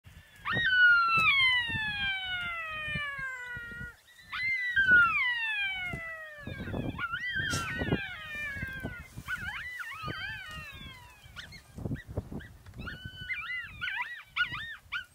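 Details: An adult from a family of African golden wolves howls, long, high, wavering notes sliding downward with several voices overlapping; howls are used to keep intruders away.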